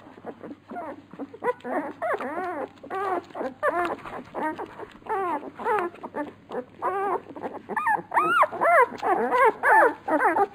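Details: Hungry Labrador Retriever puppies at feeding time, a run of strong arched whines rising then falling in pitch, repeated rapidly by several pups at once, over a faint low hum.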